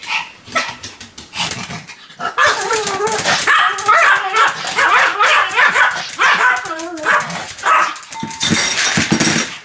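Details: Sam, a Pomeranian, barks in a continuous run. Short sharp yaps mix with a long wavering, whining stretch, and loud broadband barks burst out near the end.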